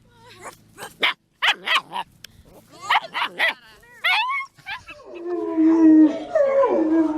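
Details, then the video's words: German Shepherd dog giving a run of irregular barks and yips, then shifting into a drawn-out, wavering high whine or howl-like tone that fills the last seconds. "GERMAN SHEPHERD Sounds for Kids - Barking, Howling, Breathing Sounds of German Shepherd Dogs"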